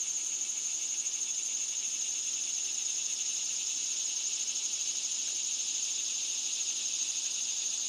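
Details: Singing cicadas give a steady high buzz with a faint fast pulsing texture, continuous from start to end.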